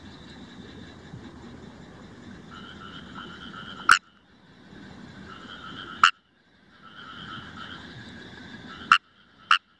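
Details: Indian rice frog chorus in Himeji, Hyogo, Japan, on 1 July 2018, recorded with a Nikon COOLPIX AW130: rattling pulsed calls that swell and break off, punctuated by four loud, abrupt clicky croaks close by.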